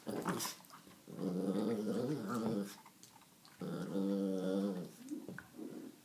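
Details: A 17-week-old Alaskan Malamute puppy in a mood gives two long, wavering, moaning grumbles with a throaty growl underneath.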